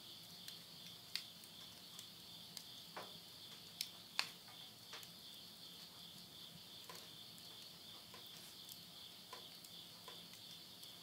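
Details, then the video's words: Insects calling at midnight in September 2020 at the end of summer in countryside Tottori, Yurihama, Japan: a steady, high shimmering trill held without break, with sharp crackles and pops from wood burning in a stove. "the voice of insects"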